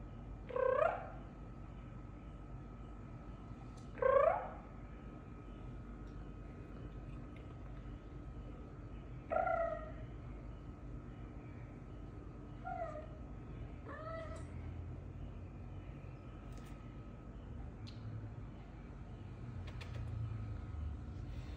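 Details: Female pet cat answering when talked to with her 'kroo kroo' sounds: five short harmonic chirps rising then falling, the first two loudest, spaced irregularly over twenty seconds, the last two fainter, over a steady low room hum.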